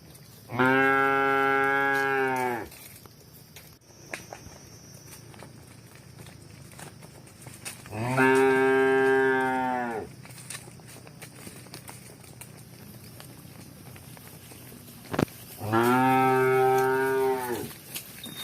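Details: Cows running and walking, one cow repeatedly mooing: three long, full-throated moos of about two to three seconds each, spaced roughly seven seconds apart, with quiet rustling in the gaps.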